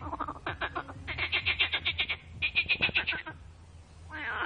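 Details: Loud frog mating chorus of quick pulsed croaks, around four per second, rising into a bright rattling series that fades, then a new call begins at the end.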